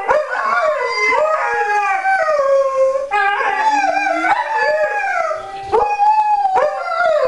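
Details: Group of Alaskan Malamutes in a continuous chorus of howls, multiple voices weaving rising and falling wails over each other, with short yips and pitch breaks cutting in every few seconds.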